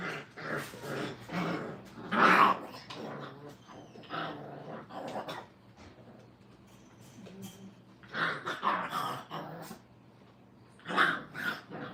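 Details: Brittany puppies, five weeks old, during crate training in a kennel, give clusters of sharp yelps and squeaky barks near the start, around eight seconds and again near the end, with quieter whimpers between.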